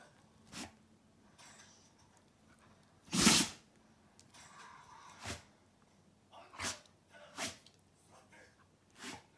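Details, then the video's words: Golden Retriever named Lulu sneezing indoors: one loud, sharp broadband burst of a sneeze near three seconds, surrounded by softer snorts and sniffing puffs. "ゴールデンレトリバー ルルのくしゃみ"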